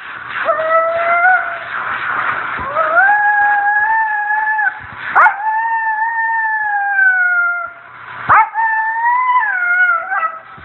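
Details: Female Siberian Husky howling while being groomed, long sustained mournful tones that slide upward and hold, broken by brief yelping breaks, three drawn-out howls in sequence.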